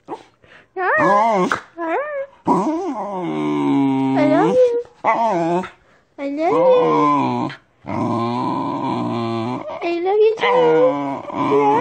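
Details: Corgi trying to speak with its owner, indoors: a long run of whining, yodelling howls that swoop up and down in pitch, delivered in bursts with short gaps, like drawn-out talking.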